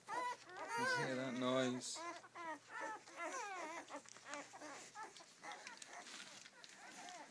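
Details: Rhodesian Ridgeback puppies, day seven of a first litter, with a loud drawn-out whine at the start followed by a rapid jumble of short rising and falling squeaks and chirps that fade toward the end.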